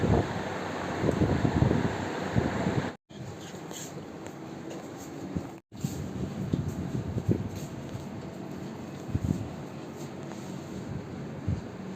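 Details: Broadband fan-like hum and wind noise indoors with faint speech and two brief dropouts, with no animal sound heard.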